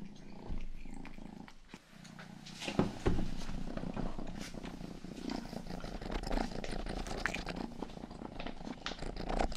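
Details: House cat named Rangi, the youngest of the family's cats, purring close to the microphone indoors. A deep, continuous rumbling throb pulses with breathing, with occasional licking clicks and rustles on top.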